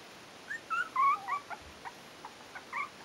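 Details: Yorkshire terrier puppies aged four weeks at a kennel give quick thin squeaking whines, several overlapping pitched yelps in the first second, then softer separate squeaks.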